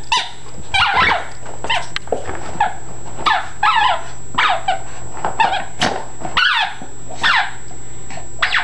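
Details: Yorkshire Terrier-Chihuahua mix dog going wild over a squeak ball: rapid sharp yaps and squeaky whines, roughly one or two a second, over a steady low hum.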